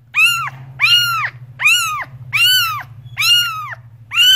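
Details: Insistent cat meowing, six loud harmonic meows spaced under a second apart, each rising and falling, with a constant low hum beneath.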